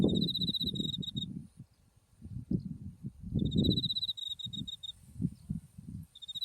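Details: Autumn insect voices by white buckwheat flowers swaying in the wind near Mount Tsukuba: shrill pulsed trills recur every few seconds, with quieter gaps between bursts of low wind noise.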